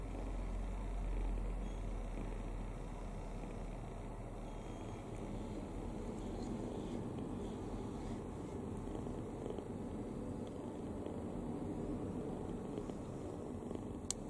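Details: Kitten sound asleep with its mouth open, snoring heartily; the rough low-pitched drone runs evenly from start to finish in a quiet room.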